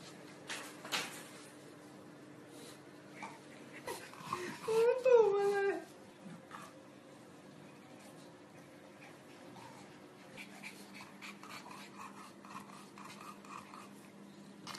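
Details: Bulldog indoors gives one wavering, whimper-like whine that rises and falls for about a second midway through, surrounded by human speech and light household noise.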